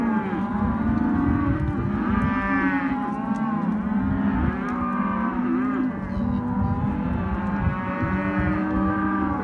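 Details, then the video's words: Hereford and white-faced calves in a sale lot, bellowing almost continuously; several overlapping low moos with rich stacked harmonics, some rising and falling, forming a dense herd chorus with a steady low rumble beneath. "Terneros/as Hereford y Caretas"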